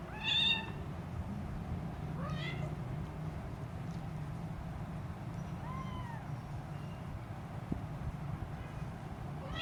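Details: Tiny Siamese kitten, three weeks old and hungry, crawling around its mother: a sharp high meow, a second rising meow, then a soft, faint mew against constant low room noise.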